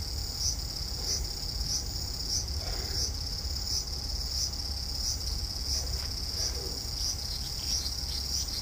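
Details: Cicada singing in a front-yard cherry tree on a hot August evening in 2012; continuous high-pitched buzz pulsing at a regular beat, about one and a half pulses per second, with faint low rumble and occasional soft knocks.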